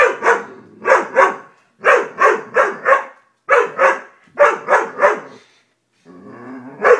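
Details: Dobermann barking in quick bursts of two or three sharp, mid-pitched barks, about three per second, with short pauses between bursts and a softer growly sound at the end.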